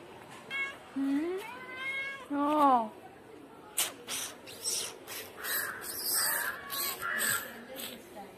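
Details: Kitten and cats feeding on cat food in a residential society; two or three clear meows, one short and rising, then a longer one that rises and falls, followed by a person speaking and clattering noises.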